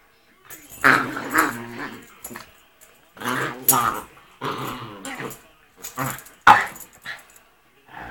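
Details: Rat Terrier getting vicious during rough play, making primal noises; ragged growling snarls come in separate bursts of one to two seconds, some with sharp snapping peaks, separated by short silences indoors.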